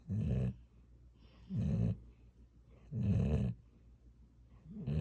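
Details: Snoring of a pet dog named Gyeoul, shared as a lullaby: low, rough, rumbling snores in steady bursts about every second and a half, each half a second long, with quiet breathing between them indoors.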